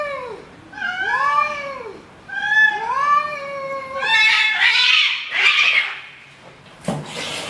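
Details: Nervous, angry cats in a fight: two arched, moaning yowls, then harsh breathy hissing and spitting, ending with a sharp sudden burst of noise, indoors.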